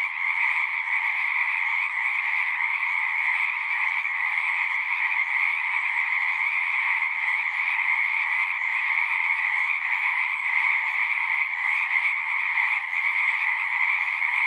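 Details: Pond frogs in a horse pasture, recorded on a Zoom, sing as a thick continuous chorus: layered trills sit in a bright upper band and a softer lower one, steady and even throughout.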